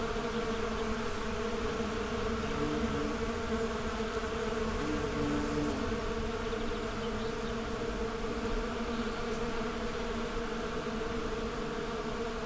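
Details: Bees buzzing as they go about their daily routines: a dense, unbroken droning hum with several steady tones layered together, holding level throughout without pauses.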